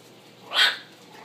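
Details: A one-month-old Miniature Pinscher puppy gives a single high, thin yelp that rises and fades quickly.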